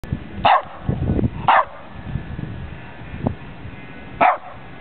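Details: A 12-year-old West Highland White Terrier barks while playing: three sharp, loud barks, near the start, at about one second and near the end, with scuffling and soft noises between them.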